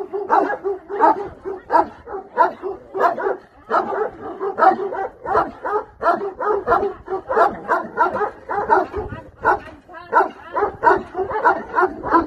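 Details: Bucovina Shepherd dog barking steadily in rough, harsh bursts, roughly one and a half per second, with a person's voice nearby.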